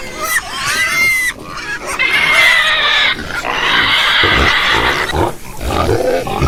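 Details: Farm pigs giving long, loud, harsh squeals lasting a second or more each, with shorter grunts between and lower snuffling at the end.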